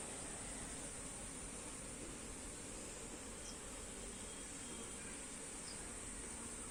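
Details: Honey bees buzzing as comb frames are shifted from one hive box to another; a dense, steady drone runs unbroken throughout, with a constant high hiss above it.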